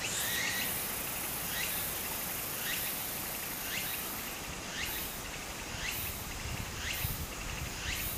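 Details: Japanese summer streamside cicada, its shrill sweeping phrases recurring nearly once per second against constant flowing-water noise.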